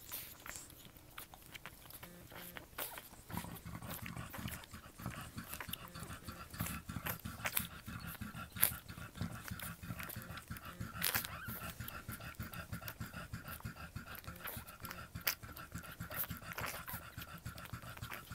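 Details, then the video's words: Newborn French Bulldog puppies, a litter born October 29, 2011, make soft snuffling grunts and squirmy rustling noises. The sound stays dense and noisy throughout, with a few sharper squeaks rising above the low shuffling. "French Bulldog Babies born October 29, 2011"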